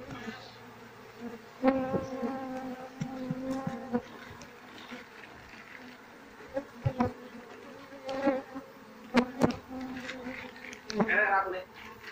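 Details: A loud, droning buzz from an Asian honey bee colony without a queen, its combs full of honey but empty of larvae. Rich stacked harmonics rise and fall in bursts, with repeated sharp knocks from comb handling.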